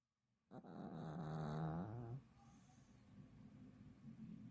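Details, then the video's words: Fifteen-year-old Pomeranian snoring in deep sleep: a single drawn-out, low, vibrating snore of nearly two seconds, then quiet breathing. "15살 포메 독구의 꿀잠 코골이"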